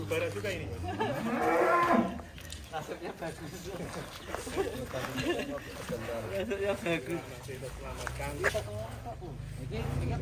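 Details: Big fattened 'monster' cattle at a crowd attraction giving a loud harmonic moo lasting about two seconds at the start, followed by people talking and general bustle.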